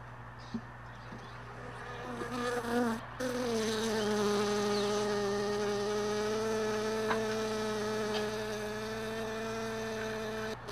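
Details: A honey bee close by, buzzing at the hive boxes left in a truck bed all day and moved early in the morning; a loud, steady, low-pitched buzz that wavers, then settles into a long, even drone.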